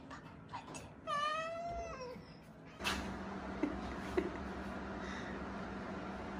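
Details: A single drawn-out, wavering meow from one of the fading rescued kittens found huddled together, followed by steady background hiss and a couple of small clicks.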